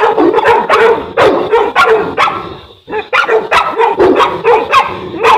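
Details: Boerboel dog in Egypt, one of Enzo and Diva, South African Mastiffs; loud, continuous barking with strong harmonics, repeated roughly three times a second, broken by one brief pause near the three-second mark.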